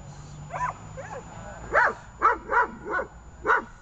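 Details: A female German Shepherd in protection training, recorded 24 October 2018, gives a run of loud, harsh barks in quick, uneven succession.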